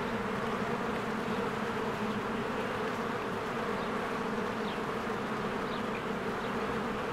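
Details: Swarms of honeybees working at a beehive in spring, a continuous thick buzz of countless wings forming an even, unbroken drone, with a few brief high bird notes in the background.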